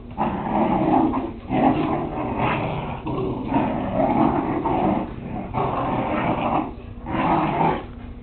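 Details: Whippet puppies at play, filmed on a Kodak DX6440 Zoom digital camera; gravelly growls rise and fall in uneven surges over several seconds, with a few higher yelping notes among the rumbling.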